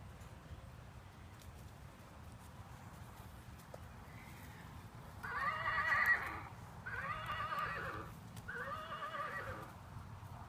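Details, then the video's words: Miniature Horse stallion, 15 years old, playing with a toy; three short, moderately faint neighs about a second apart in the second half, with a steady low hum underneath. "Mini Horse Echo"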